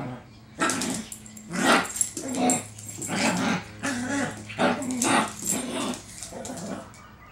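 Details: Pebbles, a pet Chihuahua, barking at a feral cat it tamed: a run of sharp, noisy barks and yips roughly every half second to second, interspersed with short growly whines, with a woman's voice calling to the kitty.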